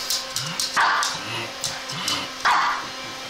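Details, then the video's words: Pug barking in reaction to a zipper: two short, sharp, harmonic barks about 1.7 seconds apart, with softer grunting and snuffling between them and brief bright rasping noises throughout. "pug vs. zipper"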